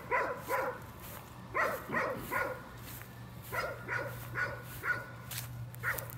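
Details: Somewhat distant nuisance barking from a dog, given mostly in pairs of sharp barks separated by pauses, over a noisy background with a steady low hum.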